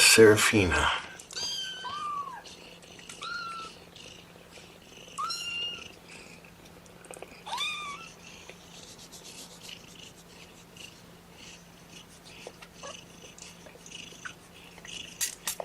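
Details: Kittens from a litter of four object to being pottied before their weigh-in with a run of short, thin mews, some rising, others dropping, spaced every two seconds or so after a brief burst of talking at the start.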